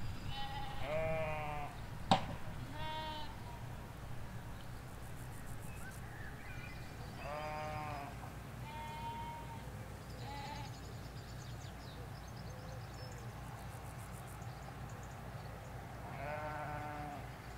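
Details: Sheep in a Hampshire countryside field, ewes with their lambs, recorded in stereo from beside a hedge. Quavering bleats come at irregular intervals, five or so across seventeen seconds, with a single sharp click early on and a constant low background hum.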